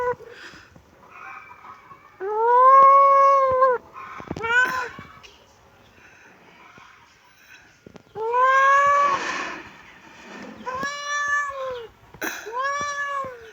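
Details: Kittens meowing: a series of loud, arched, drawn-out meows rising then falling in pitch. The longer cries come near the start and the middle, with shorter meows in between and quiet pauses separating them.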